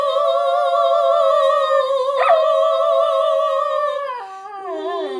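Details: Gretchen, a miniature schnauzer, singing along with a person indoors: a loud, sustained, wavering tone holds steady for about four seconds, then slides downward as a second lower voice drops in a falling glide.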